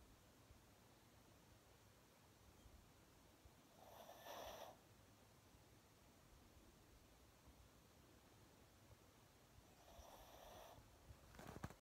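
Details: Kylo, a Pomchi, snorting in a very deep sleep while looking awake. Two short, breathy, noisy snorts come about six seconds apart against a quiet, hissy indoor background.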